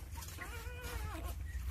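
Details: Two-day-old Jindo puppies, one of nine in a litter, being cared for by their mother Sarang-i. A thin, high, harmonic whine rises and then falls over about a second, above a low steady indoor rumble.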